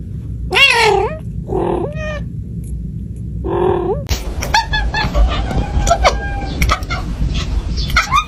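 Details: Cat giving three short, plaintive meows at the start, each slightly rising then falling. These are followed by a clattering mix of clicks, rustles and faint indistinct sounds over a steady low rumble.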